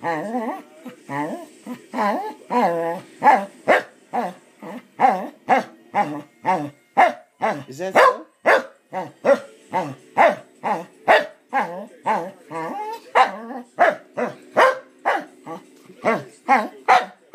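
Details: Pet Corgi dog indoors, 'asking a question' in its own way: a long series of short, harmonic, yowling barks repeated about twice a second, rising and falling in pitch, with a person's voice asking 'what' between them.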